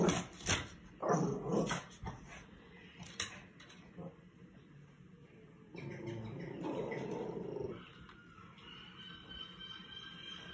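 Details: A female rescue Chihuahua named Eliza reacting to squirrels shown on television at home; gruff growls and sharp bark-like bursts in the first two seconds, a quieter stretch, then another rumbling, growly outburst midway, with low room background.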